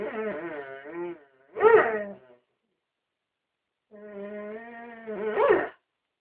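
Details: A Dobermann "sings" on request in long, wavering howls, each phrase swelling into a louder, higher cry.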